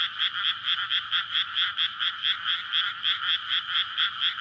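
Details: Courting frogs in a water-filled rice paddy on a May night, near a roadside residential area; a loud chorus of quick, regular croaking pulses, roughly two per second, with no other sounds. Captured on a Sony PCM-D100.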